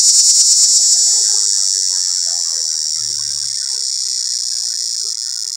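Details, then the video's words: Cicada mating call from a pear tree, approached on foot: loud, sharply pulsed high buzz at the start that softens into a steadier, gradually fading drone, with a brief low hum midway. "Cicada Mating Calls"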